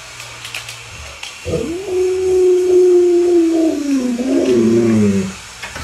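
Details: Alaskan Malamute named Luoluo playing hide and seek with its owner gives a long, steady howl of about four seconds, holding a level tone before sliding downward at the end, with light rustling noise beforehand.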